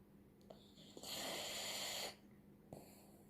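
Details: Poodle dog snoring: one long breathy, hissing rasp of about a second, with softer short breaths before and after over a faint steady low hum.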